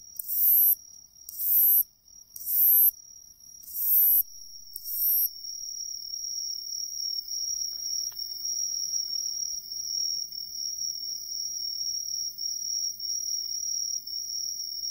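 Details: In satoyama countryside in Ehime, Japan, a Hexacentrus (umaoi) katydid sings a few harsh, hissing bursts about once a second, then falls silent.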